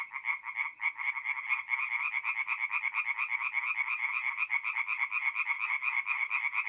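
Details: Singing tree frogs by night at a forest pond, mid-April, north-east Italy; a loud pulsing chorus of quick raspy croaks, about two per second, several voices layered into a continuous throbbing rattle.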